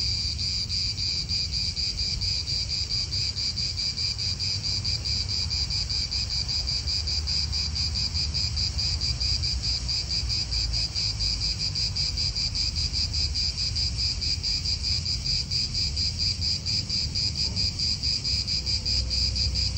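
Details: Cicadas in an Italian park, a steady dense buzzing chorus centred high, with a second lower band, running unbroken with slight pulsing, over a low rumble of wind and distant cars.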